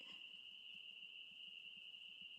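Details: On a windy spring day, April 28, 2024, many frogs in a backyard swamp by woods call at once, merging into a continuous, shrill ringing tone that holds level, with faint wind and low rustling underneath.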